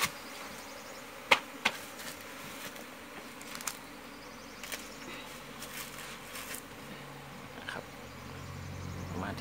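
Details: Wild Asian honey bees from a natural hollow nest being harvested for honey: a steady, hazy buzzing drone with low humming bands, broken by a few sharp clicks and knocks near the start.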